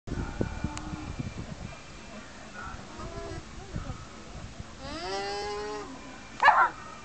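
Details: An alpaca at a farm gives soft, nasal, tonal calls, the longest drawn out and slightly wavering; a visiting dog barked in response.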